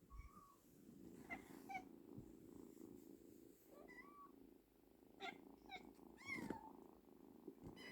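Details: A frightened kitten purrs in a soft, steady rumble, with brief higher squeaks and voices over it, as it is coaxed back to its mother.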